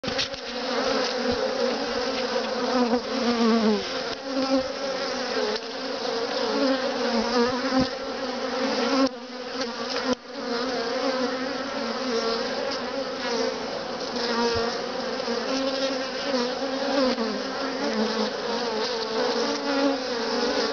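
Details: Honey bees on freely drawn comb in a top bar hive hum in a steady, dense drone of many wings beating together.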